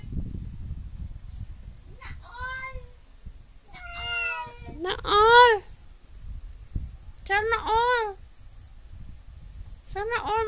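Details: Domestic cat meowing in a series of about five clear, tonal meows, each rising then falling, the later ones louder and more drawn out, spaced a second or two apart over a low rumbling background.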